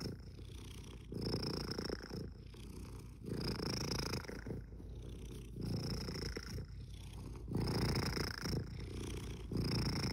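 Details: Steady purring from a pet cat: a deep, buzzing rumble rising and falling with breathing roughly every second, one phase of each breath carrying a faint high nasal whistle, with nothing else audible.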